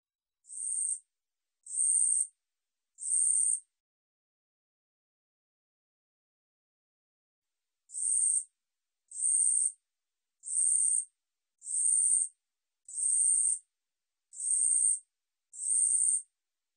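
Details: A long-winged katydid (Korean bush cricket) gives high, hissing buzzes of about half a second, spaced just over a second apart; after three bursts it pauses briefly, then resumes with a longer, even run.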